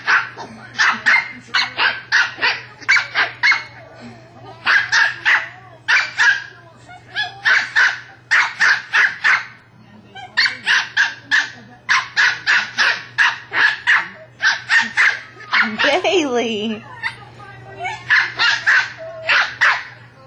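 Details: Bailey, a pet West Highland White Terrier, barking at his toy ball: rapid sharp barks in quick bursts, several per second, with brief pauses and a short whining sound partway through; a low steady hum underneath.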